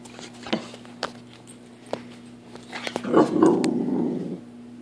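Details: Pepper, an American Bulldog, runs indoors in a small room in the early morning. Scattered thumps and clicks of movement come first, then a low, rough growl rises for about a second and a half before stopping.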